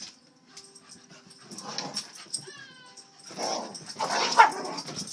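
A Cocker Spaniel gives a brief high whine between rough, breathy bursts of barking.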